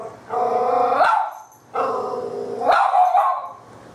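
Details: Puppy, a female, hiding in a shop hallway and barking at a toy cat called LuLu: two prolonged, wavering bark-howls roughly a second apart, each breaking into a coarse rising yelp at the end.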